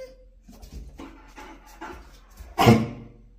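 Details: Japanese Akita named Choco, a pet dog indoors in a small room: soft rhythmic breathy puffs roughly every half second, then a sudden loud harmonic bark-like vocal burst near the end, with a person talking in Persian about going to the park.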